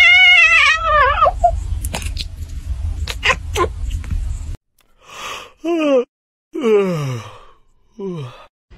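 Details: Domestic cat making several falling, drawn-out meows with strong harmonics, after a wavering cry and a stretch of loud broadband noise with sharp clicks; silent gaps between the later calls.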